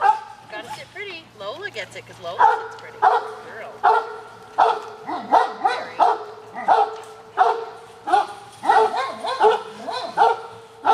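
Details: Pet dogs in a multi-dog household at afternoon snack time, told to sit and wait for treats; after a woman's talking, loud harmonic barks repeat about every half second to second, with her voice continuing over them.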